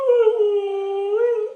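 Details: Pet dog howling indoors after a beautiful Sunday in the yard and a visit from Granny: one sustained, steady tonal howl with rich harmonics, slightly dipping in the middle and rising again near the end.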